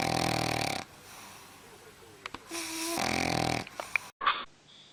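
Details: A dog asleep snores loudly in long rough rasps, two heavy snores with faint squeaky whines between them, ending in a brief cut.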